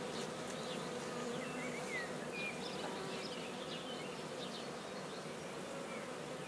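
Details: Continuous purring drone from black bees as a hive is started at Guernay, Côtes-du-Nord. A soft, even hum fills the clip while small birds twitter faintly in the background.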